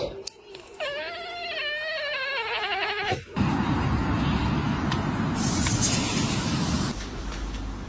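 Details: Pet cat with a drawn-out, wavering call that dips and rises for about two seconds, then breaks off into a rush of loud indoor noise and rustling.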